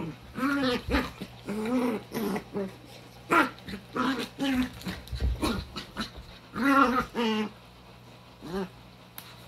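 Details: Vocal female puppy during quarantine, giving all her sass while Sadie eggs her on, 2020-05-02; bursts of high, harmonic yapping barks and growly yips with short quiet gaps and light scuffling.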